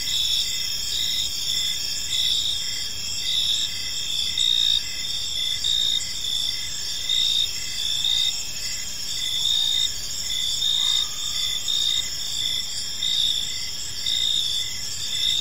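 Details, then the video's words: Crickets in a park at evening produce an unbroken high shimmering chorus with rhythmic pulsed chirps, loudness swelling and fading gently; a brief faint lower tone slides in near the eleventh second. "Cricket Sounds in a Peaceful Park"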